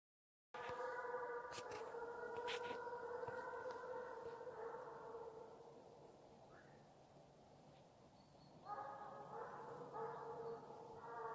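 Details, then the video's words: Russian hound named Bas in Ivanovo Oblast, giving voice during the hunt chase (gon), a 'farewell song of the chase': long drawn-out tonal bays, sustained then fading, with a few sharp clicks early and a fresh run of bays near the end. "прощальная песня гона🎵русская гончая Бас"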